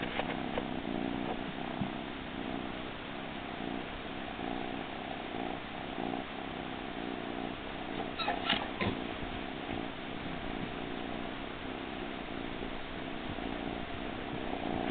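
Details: Blitz, a domestic cat, purring contentedly over a frog-shaped pillow: a continuous low, rumbling purr with steady throb throughout, a few brief rustles and clicks mid-way.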